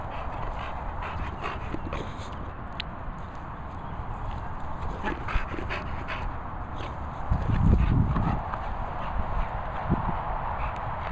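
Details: A hungry female English Bulldog makes rapid, rhythmic snuffling and panting breaths, about three or four a second. The breaths are low and throaty, with a louder snorting burst near the end.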